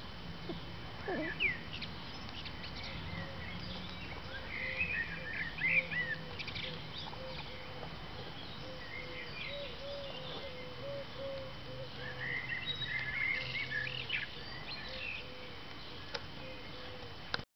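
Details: In spring 2011, one of two guinea pigs, while eating, makes a steady run of short, low, arched squeaks, about three each second.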